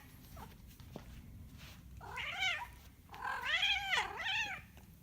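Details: Domestic cat giving two drawn-out, wavering yowls in a small quiet room. A short rising cry comes first, then a longer warbling wail that dips and climbs again before trailing off.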